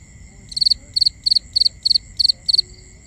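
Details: Night crickets in binaural ambience chirping in a regular series of seven sharp, high trills, each chirp made of three or four rapid pulses, evenly spaced about three per second, with a steady high drone behind.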